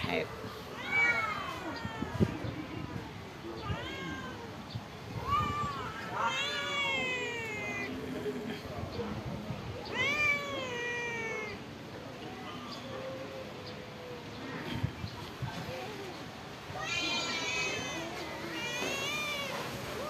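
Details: Stray cats living at a pagoda, being fed rice and fish, meow repeatedly: several overlapping rising-and-falling harmonic meows of varying length, some drawn out, with a person speaking in the background.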